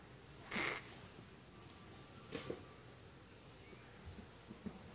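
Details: Angry Pacman frog, shown in slow motion, giving one loud, harsh squawk with a bright ringing edge near the start. Two much fainter short bursts follow later over a quiet indoor background.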